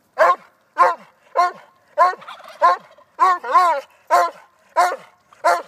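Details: Vizsla dog barking while playing with a silky rooster; short sharp barks with a whining edge come in a steady series, about one every half second, with one longer wavering bark near the middle.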